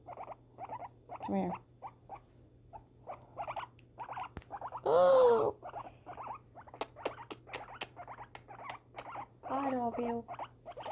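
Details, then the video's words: Female pet guinea pig during fireworks, repeating short chirping bursts, while a woman's voice breaks in briefly and a run of sharp cracking pops follows near the end. "guinea pig reaction to fireworks"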